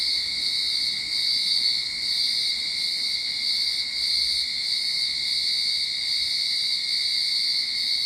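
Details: Steady cicada chorus from a Sydney backyard at the onset of summer, a continuous high-pitched ringing buzz with slight pulsing in loudness and no other clear sounds.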